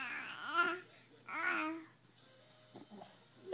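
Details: A small child babbles in two drawn-out, singsong bursts, followed by quiet clicks and soft room noise. No animal voice can be picked out.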